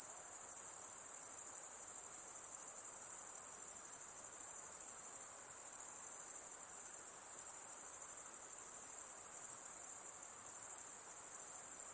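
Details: High, sizzling trill of crickets at night, unbroken for the whole stretch, with a rapid, even pulse and a constant level. No birds, wind or voices.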